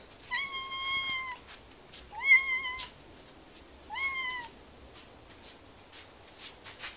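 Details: Peggy, a curious domestic cat, gives three clear, drawn-out meows about every two seconds, each starting with a quick upward bend then holding steady, followed by a series of soft clicking taps.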